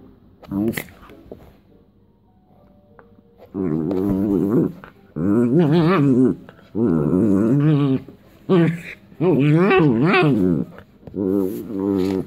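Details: West Highland White Terrier being tickled, answering with wavering, moaning grumbles in about six bursts of one to two seconds each, separated by short pauses, rising and falling in pitch like drawn-out talking growls.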